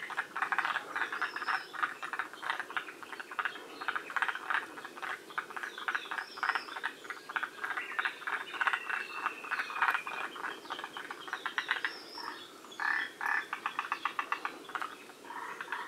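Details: Forest green tree frogs in a northern-limit population at Shiriya, Aomori, Japan, calling together: rapid rattling croak bursts overlap continuously, broken by short gaps, while a few high, thin whistles sound in the background.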